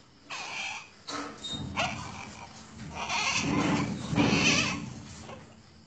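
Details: Asian palm civet kept at a breeding farm: a series of harsh, raspy, hissing calls in short bursts, growing louder and longer toward the end, with low background rumble.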